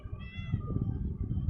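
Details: Domestic cat giving one short, slightly falling meow that fades into the background, with heavy low rumbling noise throughout and a woman speaking nearby.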